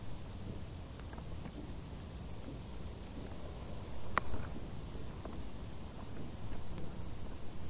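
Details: High, rapid pulsed chirping of crickets hidden in tall summer grass continues evenly, while low rustling and pattering noises swell near the middle and end, with one sharp click.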